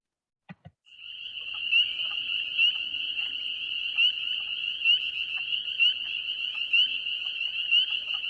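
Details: A spring peeper chorus: high, shrill peeps like a baby bird's chirp, some individuals close to the microphone, blending into a continuous jingling like shaken sleigh bells.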